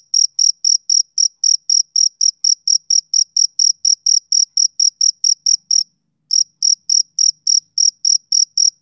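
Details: Summer-evening chirping of a male cricket, rapid bright pulses about four per second, broken by one brief half-second pause before the even rhythm resumes; no background sounds.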